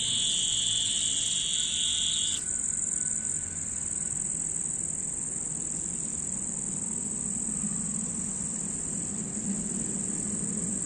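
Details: Cicada song; a steady, high, unbroken buzz that holds throughout, with a second higher-pitched buzz dropping out after about two seconds, over a low hum.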